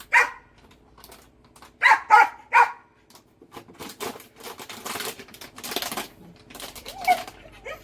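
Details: Rabbit-hunting dog, one of two called Danny and Tommy, barks once, then fires three rapid loud barks in a row, followed by scuffling, rustling and softer noise as it plays, with brief voice sounds.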